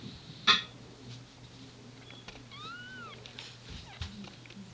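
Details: Domestic queen cat giving birth indoors, a newborn kitten still in its sac; a soft, arched mew with a rising then falling pitch near the middle, after a sharp click, over a steady low hum.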